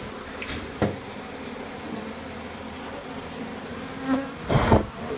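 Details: A low, steady droning buzz of honey bees, broken by a few sharp knocks, from a honey bee colony inside a bathroom in Nepal during honey collection.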